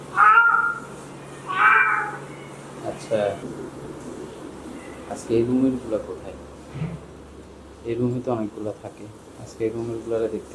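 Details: Kitten looking for its mother: two clear meows in the first two seconds, then a person speaking in Bengali with faint cat sounds in between.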